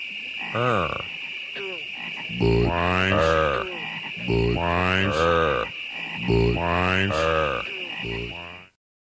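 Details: Non-stop croaking of frogs at Great Falls National Park in McLean, Virginia: deep, twanging croaks in irregular bursts, sometimes paired or overlapping, about thirty per minute, beneath a continuous high-pitched droning chorus.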